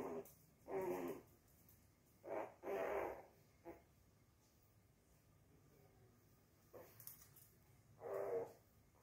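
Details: Mr Pixel, a Chihuahua puppy, amusing himself alone, gives about five short, rough, growly bursts spread across nine seconds, each lasting under a second, with quiet pauses between them and low background hiss.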